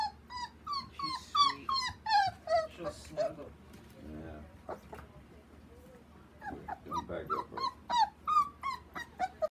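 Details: Male chocolate smooth-coat Border Collie puppy whining in bursts of quick, high, downward-sliding yelps, pausing midway with faint rustling and a brief voice, then resuming a steady series of whimpers.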